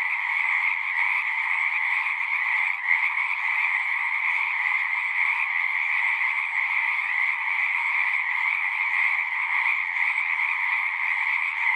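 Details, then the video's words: Numerous frogs singing at a pond in a horse pasture, recorded with a Zoom device; a continuous, buzzing trill chorus with a slight dip and a soft knock just before the third second, then steady again. "Frogs singing"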